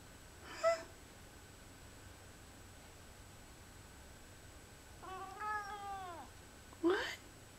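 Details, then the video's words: Precious, a Lynx point Siamese, chatters while watching autumn leaves. Two brief clicky bursts bracket a drawn-out, arching bleat-like call with clear harmonics, otherwise a quiet indoor setting. "Lynx Point Siamese PRECIOUS chattering at leaves"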